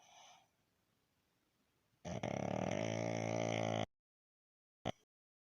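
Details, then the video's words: Resting pug Baron, snoring: after near-quiet breathing, a harsh rattling snore of nearly two seconds cuts off sharply, with a brief click a second later. "Мопс Барон отдыхает и храпит"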